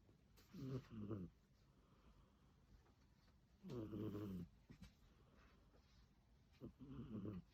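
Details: Sleeping cat snoring with uneven, low, gravelly breaths, a double rasp at the start and then longer snores spaced a few seconds apart, in a quiet room.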